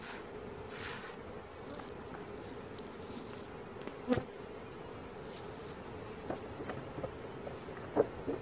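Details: Swarm of bees during capture, a dense continuous buzzing drone at a constant pitch, broken by a few sharp knocks and clicks, one loud tap midway and another near the end.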